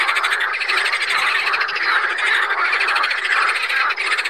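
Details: A crowded chorus of water frogs (Pelophylax sp.) at Saint Orens de Gameville. Fast, buzzy, pulsing croaks run together without a break, with a brief dip near the end.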